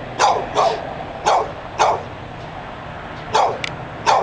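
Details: Dog that would not be quiet outside Barnes and Noble, Pleasant Hill, California, barking insistently: loud, sharp barks about every half second, mostly paired, with a brief lull midway, over faint street rumble.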